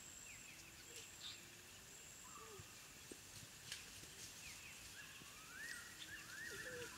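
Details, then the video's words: African wild dog puppies at their den, recorded in the wild: soft whistled chirps and rising squeaky calls scattered through the clip, some sliding upward in pitch, over a constant hiss of insects. "The sounds of African wild dog puppies at their den"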